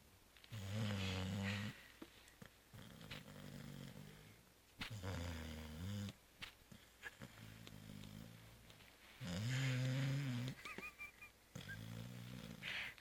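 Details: Zoé, a house cat sleeping soundly after Christmas festivities, produces repeated rumbling snores with rough, throaty texture, loud bursts alternating with softer breaths; a brief faint squeak appears near the end.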